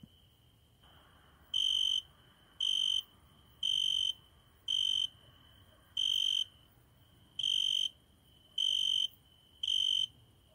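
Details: Cricket singing at night at a window, heard every night; after a quiet first second, eight steady high-pitched chirps of about half a second each, repeated roughly once a second with slightly uneven spacing over a low background hum.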